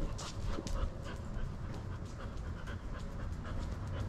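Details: Border Collie at the park during an ordinary day out, breathing in steady rapid pants throughout, with broadband outdoor background noise and faint high clicks.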